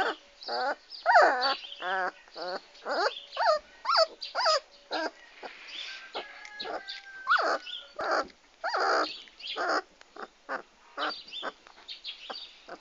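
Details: Several Komondor dogs recorded on 6 March 2016, giving rapid high yips and whining, wavering whimpers in overlapping bursts, some calls sliding up and down in pitch, with short pauses between clusters.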